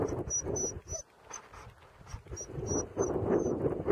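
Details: An English Springer Spaniel, eager to run while skijoring on a nice January 2012 day, gives rapid, eager yelps and whines over faint high jingling and outdoor noise.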